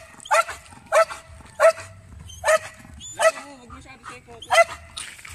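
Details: Urban search and rescue Belgian Malinois working on rubble, barking as an aggressive indication: six loud, ringing barks spaced roughly every half to one second, with a faint low voice underneath.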